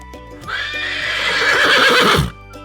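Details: Horse neighing, a real farm animal shown for children learning animal sounds: one long, loud, shaky whinny of nearly two seconds that wavers and drops at the end, over steady background music.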